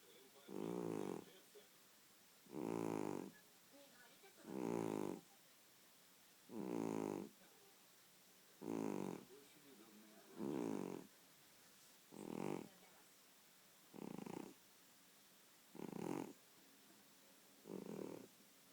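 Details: Sleeping domestic cat snoring: rasping, buzzy inhalations about one second long, recurring evenly around every two seconds, ten snores in a row with near-silence between them.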